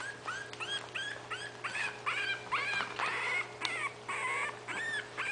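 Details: Five 20-day-old puppies of Itsy Bitsy poke around while waiting for their mother to feed them. They give a rapid run of high, squeaky whimpers and yips, rising and falling, about two a second, with overlapping voices and a steady low hum.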